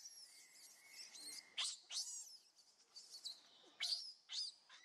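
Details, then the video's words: Baby monkey begging its mother for milk, crying with piercing, high-pitched screams that come in irregular bursts about every second or two, with sharp rising squeals between softer whimpers. "A Cutest Baby Monkey Call Mummy Back"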